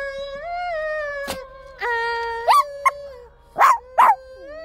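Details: A male Shih Tzu "sings" along with music, howling in long, wavering tones that slide up and down.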